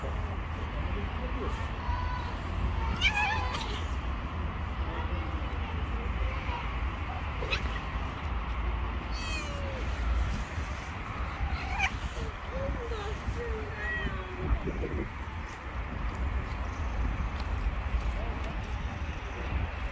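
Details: Female cat harassing a bully male cat: drawn-out wavering yowls and short moaning calls rise and fall over a steady low rumble of background noise.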